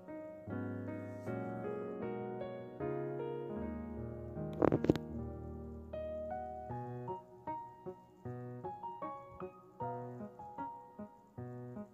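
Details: Gentle piano music plays with a brief sharp knock partway through, and no cat voice is heard.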